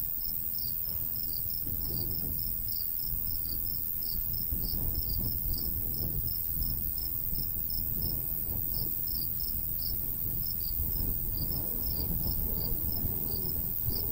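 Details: In the summertime countryside beside golden wheat, crickets keep up a continuous run of bright, rapid chirps while a light breeze swells and fades underneath.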